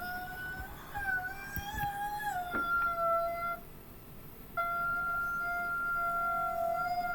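A wolf gives long, steady howls that hold one pitch, then dip slightly at the end.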